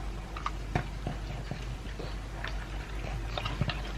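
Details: Two-year-old pug Elvis chews dry kibble with pieces of beef meat, giving sharp crisp crunches spaced unevenly, roughly two or three per second, with softer smacking between them and a low background rumble.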